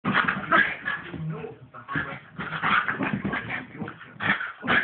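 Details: Two pet dogs play fighting, giving dense overlapping whines, yips and growly barks in rapid bursts, loud and continuous with brief lulls.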